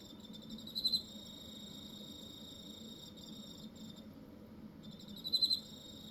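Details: Cricket in Hokkaido, Japan: a steady, thin high-pitched ringing throughout, with two short, louder buzzy bursts, one near the start and one near the end, over a soft low background hum.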